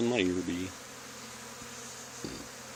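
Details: Honey bee swarm on an old barn wall during removal. A brief human voice opens the clip, then a low, constant buzzing hum carries on, broken by a soft thump near the end.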